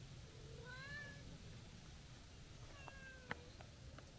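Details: Stray tortoiseshell cat jumping out toward a passer-by who stopped for an orange tabby, giving two drawn-out, rising-then-falling harmonic meows, the second one longer, over steady low rumbling background noise.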